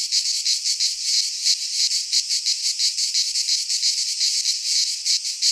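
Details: Cicadas singing in midsummer in a Greek pine forest: a dense, continuous high buzzing chorus with rapid pulsing, about three pulses per second, and no other clear sounds.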